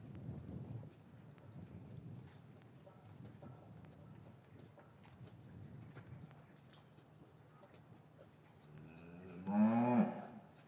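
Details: Cattle yard on an English farm in winter, afternoon, after calves were taken from their mothers; long stretch of soft shuffling and faint knocks, then one loud bellowing moo near the end.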